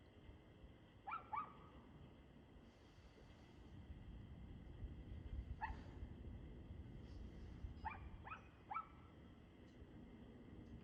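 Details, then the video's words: Dog barking at 6:02 pm on 2/6/2024: short harmonic barks, often in quick pairs, come in bursts near one, six and eight seconds, over steady low rumbling background noise. "Barking Dog"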